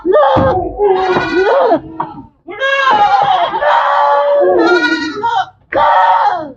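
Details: Several goats at a goat farm give repeated quavering bleats, loud and nasal, some rising then falling, in bursts separated by short gaps.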